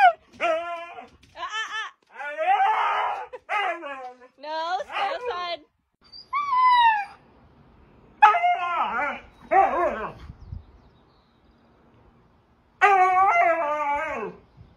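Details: Husky throwing a temper tantrum after being barred from entering the house: drawn-out, wavering howls and yodelling whines in bursts of one to two seconds, rising and falling, with pauses between and a person's voice nearby.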